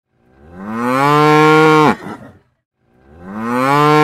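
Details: Cow mooing: one long, loud, richly harmonic moo that swells in over half a second, holds steady, then breaks off sharply near two seconds, followed by silence and the rising start of a second moo.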